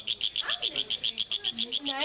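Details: A pet cricket in a family courtyard in a Beijing hutong sings a steady series of high, rasping pulses, about eight per second.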